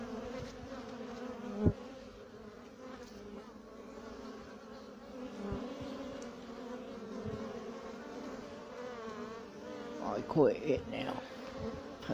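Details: Male honey bee (drone), wings slightly worn, keeps flying near the beekeeper; low buzzing hum rising and falling in loudness, with handling thumps and a short louder burst near the end.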